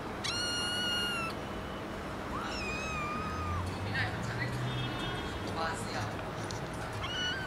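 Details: Domestic cat or kitten from a compilation of noisy meowing cats, giving two or three high, drawn-out meows, the first sliding up then level, with faint rustling and background noise between calls.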